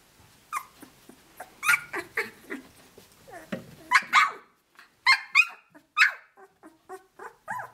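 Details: Australian Shepherd puppies, 17 days of age, out of Dazzle sired by Naishe, vocalizing while they play together; a lively run of sharp yips, squeals and small growly grumbles, about one a second, loud and overlapping.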